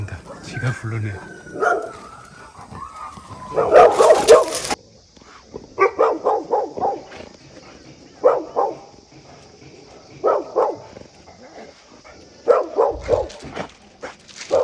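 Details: Barking dogs next door in a rural yard, watched by Heukgomi, a neutered male Jindo and black Labrador mix; brief speech first, then short, loud barks in clusters every second or two.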